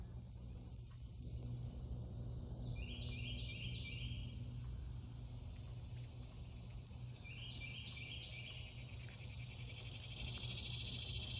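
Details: Early morning on July 14, 2021: a steady high insect drone runs under low rumbling background noise, with two brief bursts of stepped chirps.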